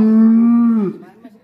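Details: Black bull kept inside a pen in Indonesia, bought at a market in Probolinggo the previous year, gives a short loud, steady moo under a second long; a man speaks before and after.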